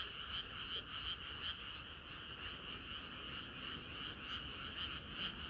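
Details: Summer-night frog chorus, a continuous wash of croaking with a few louder, sharper croaks standing out irregularly above the blended background of many frogs.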